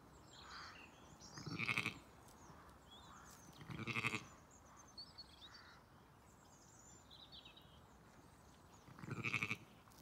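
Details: Zwartbles ewes and lambs, Celandine with her ewe lambs joining Dior and her twins, on a County Kilkenny farm in Ireland; three loud, quavering bleats spaced irregularly over ten seconds, with small birds twittering steadily behind.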